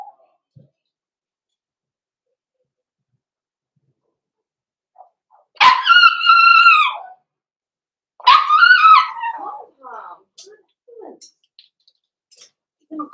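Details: Indoor puppy pen with six-week-old blenheim Cavalier King Charles Spaniel puppies from a small litter: two loud, harmonic bark-howls about two seconds apart, each bending upward then down, with faint soft sounds and quiet between.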